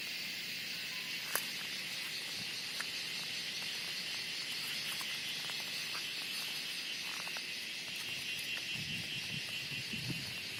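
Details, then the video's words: Cicadas in the Western Ghats during the monsoon fill the air with a steady, high, shimmering buzz that never lets up, calling loudly just before rain. "Insects Cicadas making loud sound just before rain"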